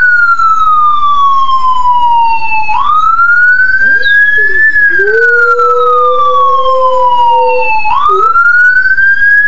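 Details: Dog howling in response to a passing ambulance siren; the siren's loud wavering wail dominates throughout, with the dog's lower, drawn-out howl rising and holding steady beneath it in the middle of the recording.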